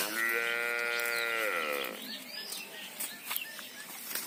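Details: Cow giving a single drawn-out moo of nearly two seconds, rich and tonal, steady before dropping in pitch at the close, followed by faint rustling and background noise.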